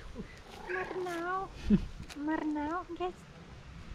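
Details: A hungry female cat asking for food while waiting for breakfast gives a drawn-out, wavering meow, then a shorter rising-and-falling meow and a brief final mew, with a person talking softly nearby.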